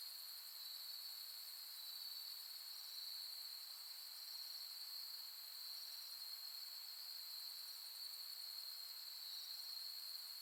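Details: Night chorus of autumn insects at Soni Highland in Nara, Japan, late August 2021, summer's end: continuous shrill ringing at one steady high pitch with a few brief brighter overlapping trills and thin higher overtones, otherwise quiet.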